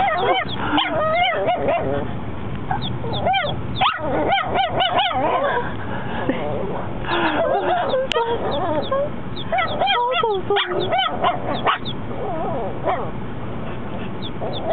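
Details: First barks from Mocha, a dog four months old: repeated short, high yips and barks in uneven bursts, mixed with human voices and laughter in a noisy room.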